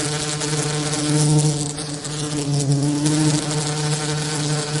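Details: Bee buzzing in a steady, low, droning hum, with a rich stack of even overtones that swells slightly in loudness around the middle, continuous throughout with no breaks.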